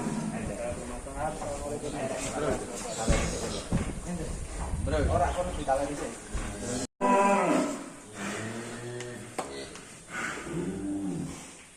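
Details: Drawn-out, deep moos from large fattened cattle leaving their pen in Indonesia, several bellows in sequence, mixed with background music, crowd noise and clatter.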